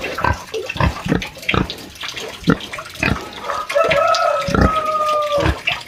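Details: Country pig grunting in the sty during a farm visit: irregular low rough grunts, then a drawn-out whining squeal that holds a steady tone for over a second before more grunts, with water noise behind.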